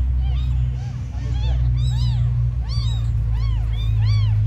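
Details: Abandoned kittens, the smallest ones, calling with clear high-pitched mews that rise and fall in arches, about four a second and irregularly spaced, a steady low droning hum beneath.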